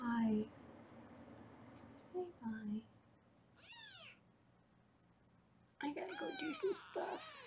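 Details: Kittens in a Los Angeles foster room during weighing: a woman speaks briefly at the start, then a lone high, curved meow, followed by a cluster of overlapping arched kitten cries near the end.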